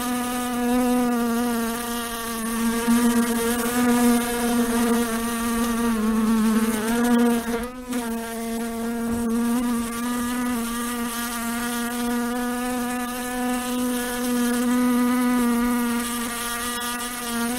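A fly's steady, droning buzz, humming low with a rich stack of overtones.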